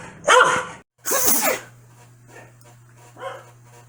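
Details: Corgi named Foxy reacting crossly to a sneeze: a broad noisy burst opening the clip, followed by one loud bark, then faint softer woofs and a steady low hum in the background.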